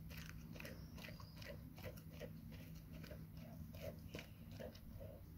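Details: Labrador Retriever named Nona eating a huge grilled sandwich indoors; crunchy, broadband chewing bites repeat steadily about every half second over a low constant hum.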